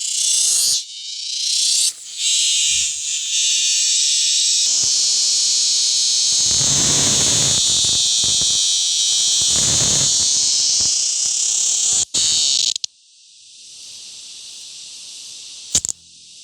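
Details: A male cicada, caught and held captive, gives a loud, steady, high-pitched shrill buzzing drone made by vibrating the tymbals on its abdomen; the drone cuts off near the end.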